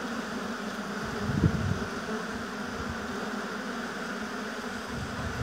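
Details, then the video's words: Steady low hive hum of honey bees in an apiary, many insects droning together, one bee passing close to the microphone early on before the even hum resumes. "Busy Bees Buzzing Sound"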